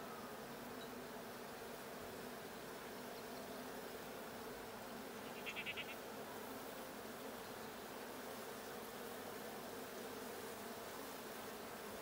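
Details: Colony of honey bees in the Blue hive, recorded at a hive check on 6/20/22, giving a continuous, even buzzing drone, broken once midway by a short, higher rattling burst.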